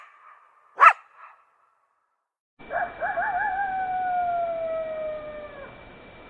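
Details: One sharp coyote bark, then a pause, then a long wavering howl that starts with a quavering tremble and slides slowly downward. A steady hiss and a thin constant tone run underneath.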